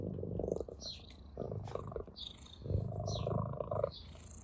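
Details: A ginger cat purrs with pleasure while playing with a blade of grass. The purr is a low, rumbling drone in uneven bouts, with brief higher rustling sounds from the play.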